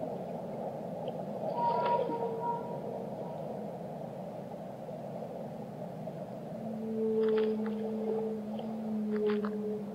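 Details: Whale moans in steady background water noise: a brief mid tone near two seconds, then from about six seconds a long low drawn-out note with a higher held tone above it, plus scattered clicking bursts.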